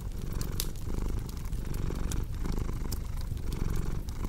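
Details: Domestic cat purring in a steady low rumble that swells and fades with each breath, roughly once per second, while sharp crackles and pops from a fireplace scatter across the top.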